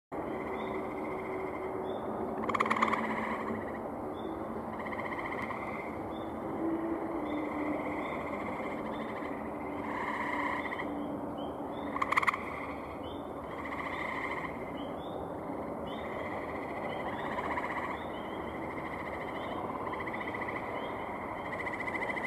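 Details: Male gray tree frogs calling at a pond on a May 15, 2018 evening: two loud, short pulsed trills stand out over a steady background chorus of fainter repeated calls from other frogs.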